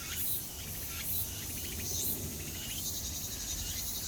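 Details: Cicada calling with a dense, high-pitched, hissing buzz that swells and fades roughly once a second, continuous throughout with a noisy outdoor background.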